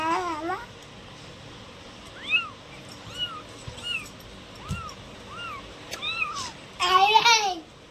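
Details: Several cats meowing: short arched meows recur every second or so over steady background hiss, ending with a louder, harsher drawn-out meow near the end; faint thumps in between.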